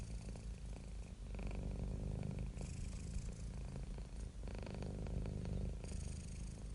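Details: Low, continuous purring from a house cat among cats and kittens, a dense rumbling drone that swells and eases with each breath, heard up close.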